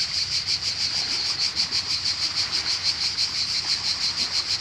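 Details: A cicada in Croatia sings a loud, high, rasping drone that never stops, pulsing in rapid regular swells about three times each second, over a soft wash of faint breaking waves.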